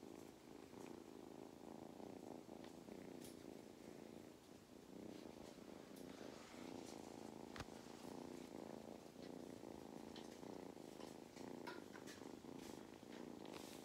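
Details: Mustard, a cat on a regenerative farm in County Kilkenny, Ireland, who loves belly rubs, purrs steadily in a continuous low pulsing rumble, with scattered soft clicks and rustling over it throughout.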